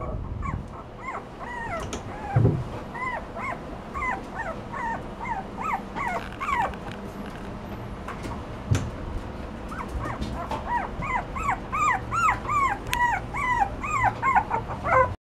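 Toy Poodle puppies whimper and whine in high, arching squeals, repeated rapidly and overlapping.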